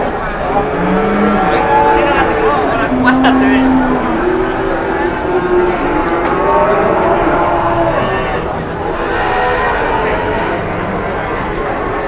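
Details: Large cattle arriving for sale at an Indonesian livestock trade give low, drawn-out moos with layered harmonic tones, repeated several times, while people talk nearby and faint vehicle noise runs underneath.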